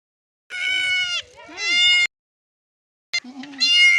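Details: Goat on a farm crying while giving birth: loud, wavering, high-pitched bleats, two long cries separated by a short dip, then silence and another strained bleat.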